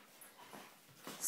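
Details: A male Alaskan Malamute hiccups, giving soft, brief breathy jerks about half a second apart.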